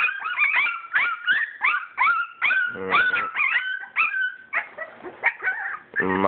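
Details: English Springer Spaniel puppies from a purebred litter, playing together. Dense, continuous chorus of whining whimpers, each sliding up then down, with raspy yips between. Several pups call at once, almost without pause.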